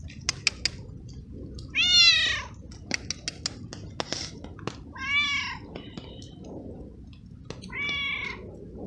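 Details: Wet stray cat, a male, given treats and kibble after being found unsheltered in the rain, meowing a lot, perhaps from the cold: three drawn-out harmonic meows about three seconds apart, with rain ticks and clicks between.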